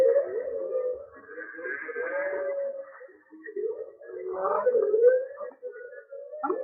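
A humpback whale's song of long, low, wavering moans that slide up and down in pitch.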